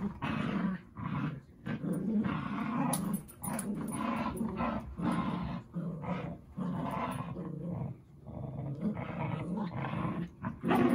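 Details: Zuko, a dog, playing with Izzy indoors, growling in long rumbling bursts broken by short pauses, low and gravelly throughout, with brief yips between bouts.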